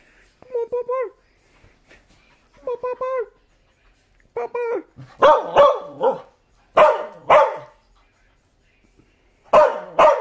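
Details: Barking dog Bumba: several short, tonal yelping notes in small clusters give way to louder, harsher double barks repeated at intervals of one to two seconds.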